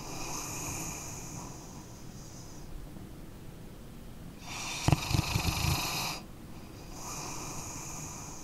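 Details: Single coarse, gravelly snore from a sleeping dog lasting about a second and a half midway through, framed by soft whistling breaths before and after.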